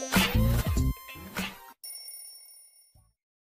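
Voices or music give way to a sustained ringing, bell-like tone; no animal is heard.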